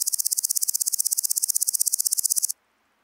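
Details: Gaisberg, Austria, 15 September 2023: a woodland grasshopper (Omocestus rufipes) recorded through an ultrasound detector gives a rapid run of sharp, evenly spaced high pulses, about four per second, stopping abruptly after two and a half seconds into silence.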